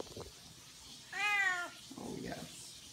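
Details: Friendly, chatty female Siamese cat, described as happy, talking with its owner indoors: one clear arched meow rising then falling over about half a second, preceded and followed by soft human murmuring.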